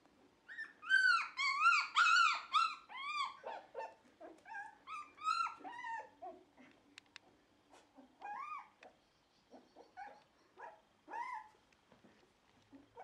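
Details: Dog vocalising at a Netherlands Shiba Inu and Samoyed kennel on November 4, 2018, after its bed was cleaned. Rapid burst of high, arched yips and whines at the start, then spaced, shorter whimpers repeating roughly twice per second.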